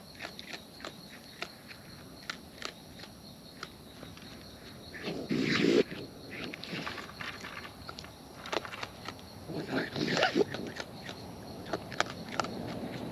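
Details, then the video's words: Wild raccoons eating close up: a steady run of sharp, crunchy chewing clicks, roughly three to four per second and uneven in timing, broken by two louder rustling, scraping bursts near the middle and later on. "Wild Raccoons & ASMR Chewing Sounds"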